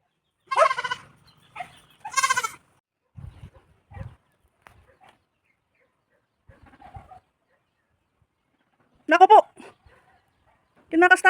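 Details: Goat recently bought for a farm in La Union, Philippines: a few loud wavering bleats at the start and end, separated by long quiet stretches with people talking and faint scuffling.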